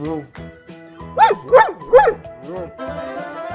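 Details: Dog barking three times in quick succession, each bark sharp and rising then falling, about half a second apart, over steady cheerful background music with a spoken word just before.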